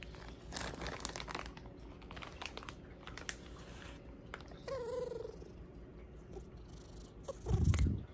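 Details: Bengal cat named Hua, a pet indoors, begging for Japanese cod sticks at supper after pouncing on its owner; one short, clear, rising-falling meow midway, amid soft chewing, crinkling packaging and a dull thump near the end.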